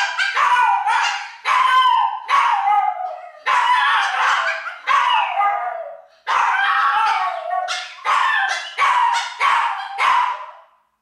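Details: One-year-old female Pomeranian indoors in the morning, still crated before being let out, singing her special attention-seeking song while her sister joins in; loud, wavering howls and yips in overlapping bursts, nearly continuous with brief pauses.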